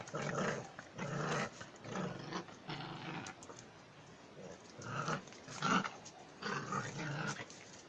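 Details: German Jagdterrier growling steadily: deep, harsh, throaty pulses roughly every second, loud and close, with a brief quieter gap midway before the growling resumes.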